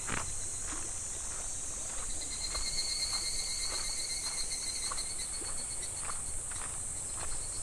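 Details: Cicadas singing by a clear, shallow summer stream in July, a constant high, metallic buzzing hum layered with a thinner whining tone, accompanied by light water ripples and scattered soft taps.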